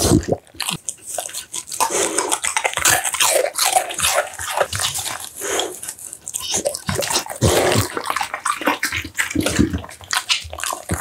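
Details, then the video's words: Close-up eating noises from an American Bully dog fed steamed pumpkin, minced duck, tofu and dried vegetables: continuous moist smacking, slurping and crunching clicks in rapid irregular bursts, with brief quieter pauses between mouthfuls. "American Bully ASMR Mukbang: The Most Intense Eating Sounds!"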